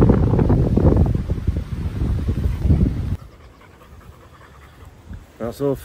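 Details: Sunday morning walk with Bear, a chocolate Labrador Retriever: about three seconds of loud, quick, breathy panting, then near quiet, followed by a short burst of a man's voice at the end.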